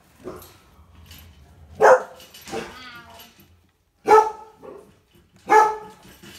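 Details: Four-week-old Groenendael puppies yapping: sharp, harmonic puppy barks at irregular intervals, three loud ones standing out, with softer whiny yips and quiet murmuring between.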